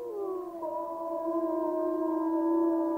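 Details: Gray wolf pack calling in Yellowstone National Park: several long, steady howls overlap, one sliding down at the start, then held level tones on different pitches drawn out together.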